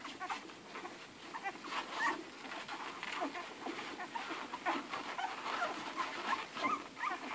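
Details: Eleven hungry Irish Red and White Setter puppies nursing from their mother Ruby: a steady busy mix of wet suckling clicks and smacks, with brief high squeaks popping up throughout.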